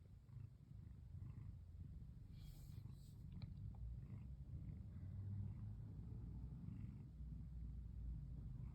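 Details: Female brown tabby cat curled up and purring while being stroked in a relaxed mood: a steady, low rumbling purr runs throughout, with a few faint clicks and rustles near the middle.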